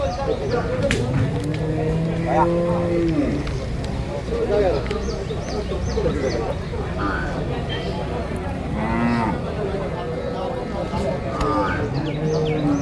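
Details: Penned water buffalo calves being sold at Manjeri market, Malappuram district, Kerala. Repeated bending, nasal moos from several animals overlap throughout, with low rumbling market noise, scattered clicks and distant voices underneath.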